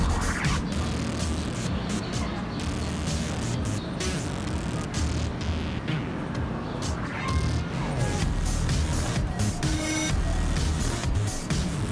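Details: Loud music with a heavy beat over traffic and street noise, with thuds and some speech, and no animal calls.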